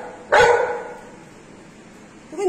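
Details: Female Golden Retriever at home before her morning walk, showing a toy to her owner; one loud sharp bark, then quiet room tone and a woman's voice nearby.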